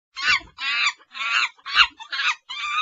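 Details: Monkeys calling in six loud, harsh bursts, each about a third of a second long, with strong harmonic bands and short gaps between them; no other sounds stand out.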